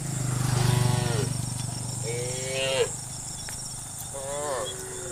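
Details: A herd of cows (Bos taurus) roaming across open land toward green pasture in warm sunlight, grazing along the way, gives several drawn-out, harmonic moos over steady insect buzzing and a low engine hum.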